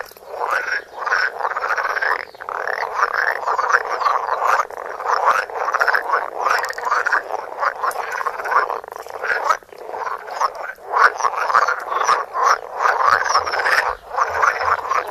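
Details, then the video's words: Several frogs croaking in close-up, filmed on a Samsung Galaxy Note: a dense, continuous chorus of rasping, pulsed croaks overlapping without pause, with short bursts rising and falling in loudness throughout. "Frogs croaking. Coassements de grenouilles"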